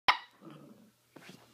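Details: Mini dachshund puppy playing wildly indoors gives one sharp, high bark, followed by soft shuffling and a brief scuffle of play noise.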